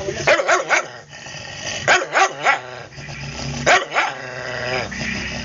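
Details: Cody, a newly adopted stray aspin dog, gives short sharp barks in quick bursts of two or three, with brief pauses between groups, over a steady background of music and voices.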